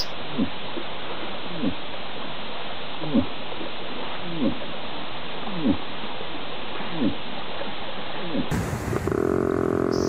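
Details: Moose during the mating season, when bulls grunt; short deep grunts repeated about every one and a half seconds over a steady low rumble, followed by a brief burst of music at the end.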